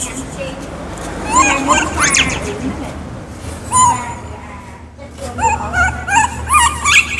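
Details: Baby monkey named Kaka, wild, screaming because he is hungry for fruit: bursts of high, wavering, harmonic squeals rising and falling, separated by brief pauses, over a low background hum.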